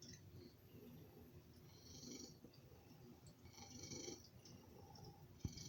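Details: Loud purr from a male house cat begging for food, a steady low vibrating drone with softer wheezy, snore-like breaths recurring every couple of seconds and a faint click at the end.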